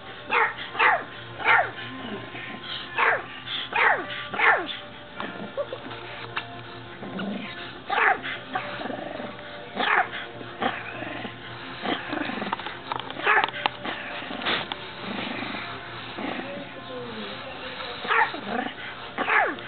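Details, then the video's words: Pet dog Hercules barks at the camera he hates, giving loud, short, punchy barks about every one to two seconds across the recording, with faint background music and occasional speech. "Barking doggy"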